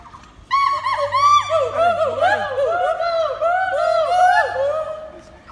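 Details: Gibbon at Assam State Zoo in Guwahati, calling in reaction to visitors: a quick run of clear, tonal whoops, each arching up and falling away, overlapping one another for about four seconds before fading.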